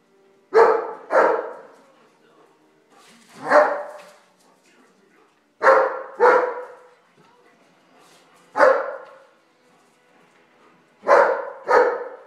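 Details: Bernese Mountain Dog at play during a game, giving loud sharp barks, mostly in pairs, with a single bark between them, spaced every two to three seconds over a quiet background.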